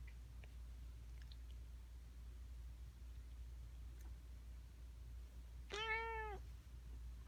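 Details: Indoor domestic cat making a strange noise: after long quiet with a low hum, one loud meow with many overtones rises briefly and bends down, lasting well under a second.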